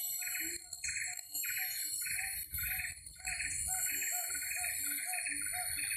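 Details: Distant siamang calls in Karo, from somewhere unseen in the forest, a series of repeated hooting notes over a steady high buzz of forest insects.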